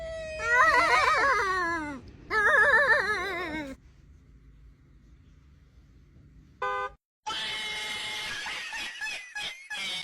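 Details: Domestic cat giving two long, loud, wavering meows that slide downward over nearly four seconds, followed by a quiet gap, a brief burst of musical notes, then a busy, noisy stretch of indoor sounds.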